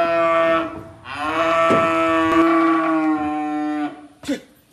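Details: Mountain free-range native yellow cattle, one of two that seem to 'play dead'. The moo is long, sustained and richly harmonic, rising at its start and holding steady for about three seconds, with laughter and people talking nearby.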